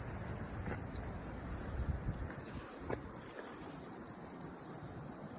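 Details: Cicadas sing a steady, high-pitched shrill drone on a mountain on a morning after rain, with a few soft thuds and a low rumble beneath.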